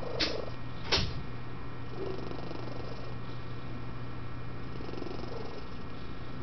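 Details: Sleeping office cat at a West Virginia animal shelter, known to snore, coo and purr. A steady low purr runs throughout, broken early by two brief sharp clicks and a faint short coo, over a constant hum.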